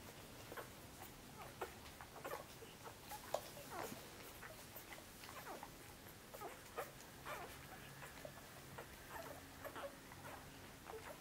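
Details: In Djip's nest of Korthals Griffon puppies, day six, the young jostle to nurse, producing a long run of soft squeaks and whimpers at irregular intervals over steady indoor hiss, with a murmur of talk.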